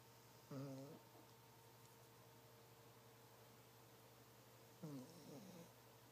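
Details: Kennedy, a female pet dog, snoring indoors while asleep at night: two separate rough, droning snores about four seconds apart, each a short harmonic rasp with low hum underneath, a steady background hum throughout.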